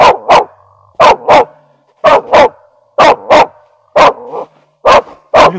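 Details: Laika barking at an unseen beast while hunting raccoon dog in dense forest; loud, clipped barks in steady doubled bursts, roughly once a second over nearly six seconds, with quiet pauses between.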